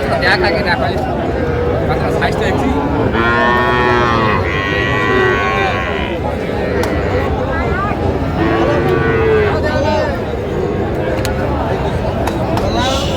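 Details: Sahiwal calves, small bulls and heifers, being sold at a Jamalpur cattle market in Bangladesh, 14 June 2025. Two long, rich lowing calls rise out of constant market chatter and bustle, separated by about five seconds.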